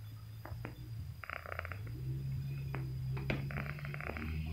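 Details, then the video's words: Sleeping domestic cat snoring: a steady low droning rumble that holds throughout, overlaid by short brighter crackling bursts and faint clicks. "si cantik lagi ngorok"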